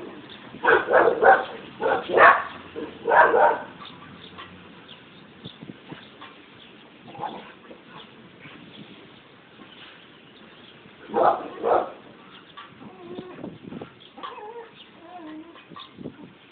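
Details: Barking dogs: a quick run of four sharp, loud barks in the first few seconds, a single softer bark near seven seconds, then a close double bark around eleven seconds, with faint whines and yips between.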